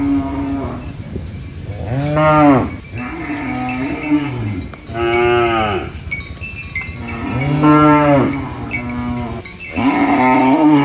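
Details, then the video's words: Cows feeding on banana leaves in farm life, mooing repeatedly: four strong arched moos about every three seconds, each followed by a lower humming tail, over a constant background hiss. "Funny cow eating banana leaves Mooing Sounds"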